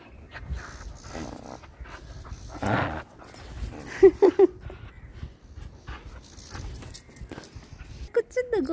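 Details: Pet dog giving three quick high whimpers close together midway, then another short whine at the end, over a woman's talking and assorted handling noises.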